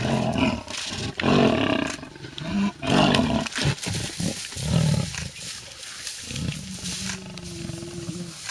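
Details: Wild lionesses of the Styx pride squabble aggressively in a tree over a leopard's bushbuck kill at MalaMala Game Reserve beside Kruger National Park; bursts of harsh growls and snarls separated by short pauses, then a steadier low drawn-out tone near the end.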